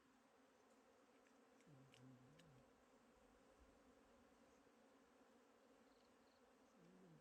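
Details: Wild honeybees in a forest: a faint, steady low hum with layered tones, and a nearby bee passing with a drone that dips and rises in pitch twice, over quiet background noise.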